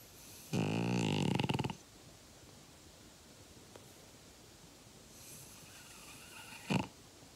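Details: A five-year-old French Bulldog named Uggy snores once with a gravelly, fluttering rasp over a second long, followed by silence, then a fainter breath and a short sharp snort near the end.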